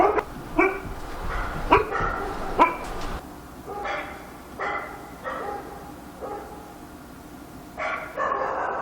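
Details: Dog barking at night in Korea: sharp, repeated barks in quick bursts through the first three seconds, then more spaced barks every second or so, with a quieter stretch before a final burst.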